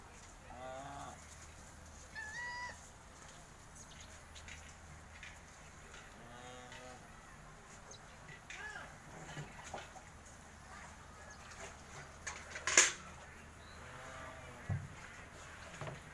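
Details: Holstein Friesian dairy cow, a farm animal expecting her second calf, lets out several short, low moos spaced across the recording, with faint farmyard noise, scattered clicks and one sharp knock.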